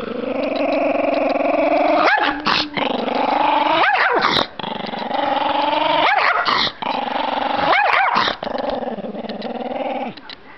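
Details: Shaggy, a provoked Chihuahua, growls continuously and loudly, the rumbling tone rising and falling slightly, interrupted about every two seconds by brief sharp breaks or yips.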